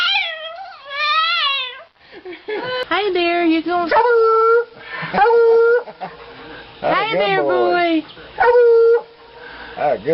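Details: Dog producing funny vocal sounds: a mix of wavering whines, yips and steady mid-pitched howls, with short sustained notes repeated every couple of seconds between rougher, pitch-sliding bursts.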